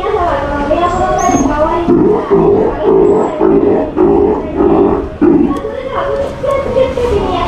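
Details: Captive Steller sea lion pup at Ise Sea Paradise aquarium in Japan, during bite-prevention training with staff: a series of short, harmonic, moaning bursts of similar length, with staff talking over and between them.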